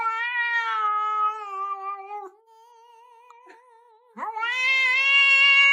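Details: Domestic cat giving long, drawn-out meows: a steady, slightly wavering tone held for about two seconds then trailing off, a quiet pause, then a second loud meow that swoops up sharply and holds strong to the end.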